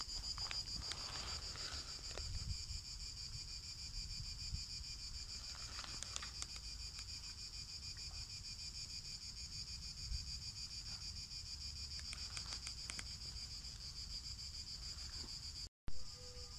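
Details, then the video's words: Outdoor cicada chorus heard by a black cat, a continuous high-pitched shrill drone partly masked by gusting wind and low rumbling noise, with scattered crackles and a short dropout near the end. "蝉の声が好きな黒猫 *A black cat that likes the sing of cicadas"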